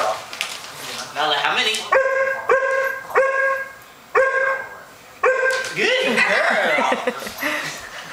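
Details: A female Alaskan Malamute "counts" with a run of short, ringing barks on cue while a woman praises and questions her.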